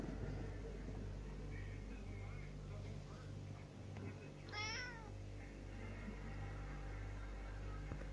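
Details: White Russian cat giving one brief, wavering meow that rises then falls, alone against a steady low hum.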